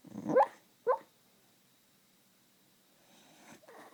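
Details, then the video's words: Dreaming Beagle Sky lets out two short, muffled barks half a second apart while sleeping, followed by near silence and then faint rustling breaths. "Dog Snoring, Dreaming, and Barking."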